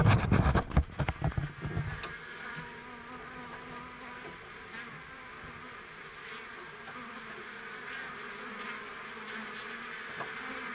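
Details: Kept bees at work; after a couple of seconds of loud knocks and bumps, a steady, even droning hum of many bees carries on.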